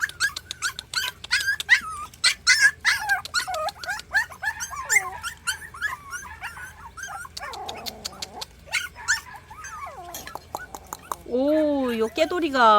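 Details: Three 40-day-old countryside mixed-breed puppies whimper and whine, wanting to climb stairs; a dense run of high, wavering yelps and whines gives way to a muffled stretch, then a sliding drawn-out whine near the end.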